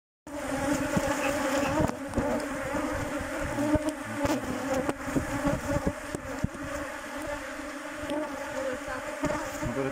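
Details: Western honey bees at a hive entrance during the introduction of virgin queens, with a little smoke used. A steady, dense hum with low droning bands holds throughout, broken by faint clicks and bumps.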